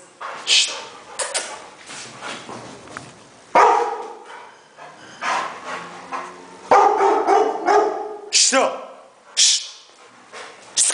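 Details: Rottweiler from Nigeria barking in short, rich bursts, sometimes clustered and sometimes spaced a second or more apart, mixed with people talking and sharp hissed sounds.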